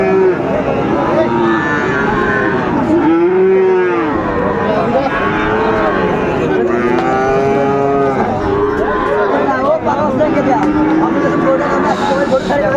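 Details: Cattle, Friesian and cross-bred bull calves, at the Raniganj cattle market in Dinajpur, on 28 November 2024. Several animals give long, harmonic, arching moos that overlap throughout, one after another, with low market hubbub beneath.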